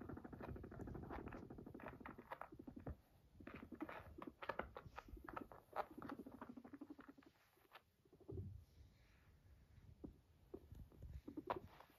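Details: Pet guinea pig Max purrs beside its owner in a series of rapid, rumbling pulse trains that break off and restart, mixed with scattered light taps and rustling.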